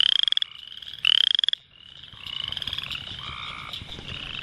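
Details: At night along a swamp shoreline, a Boreal Chorus Frog (Pseudacris maculata), a species that calls almost all summer, gives short, rising, rapidly pulsed creaks like a thumb run along a comb.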